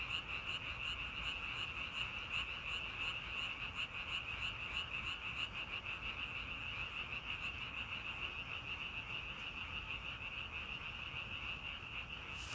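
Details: Massed frog calls form an unbroken high trilling wall, pulsing rapidly and evenly throughout, with low steady noise underneath and a brief hiss at the end.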